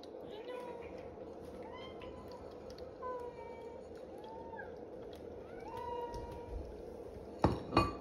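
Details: Tabby cat indoors begging while waiting for breakfast: about five short, soft meows that rise and fall, spaced one to two seconds apart, over a steady hum, with a few sharp clinks near the end.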